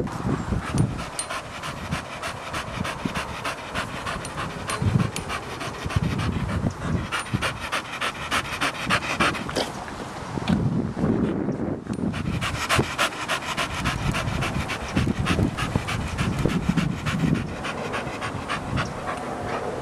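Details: Blue pedigree Staffordshire Bull Terrier stud, a two-and-a-half-year-old male registered with the UK Kennel Club, panting steadily in quick rhythmic breaths throughout, with brief pauses near five and eleven seconds and a faint background hum.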